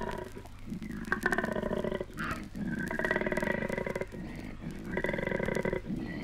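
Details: Australian koalas courting: deep, rasping, pulsed grunts in long snoring bursts, about five over six seconds, over a low steady hum; 1968 recording.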